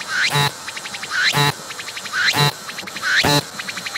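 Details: Cicada singing near the lens, pumping its abdomen; rhythmic phrases of a climbing whine, a sharp loud burst and a short pulsed rattle come about once per second, four phrases in a row.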